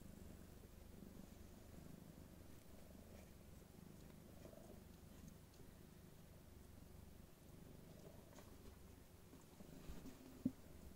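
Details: Purring from a litter of three female Somali kittens, 2019, two playing and one sleeping undisturbed; a continuous low, even rumble runs through the whole stretch, with a single sharp click near the end.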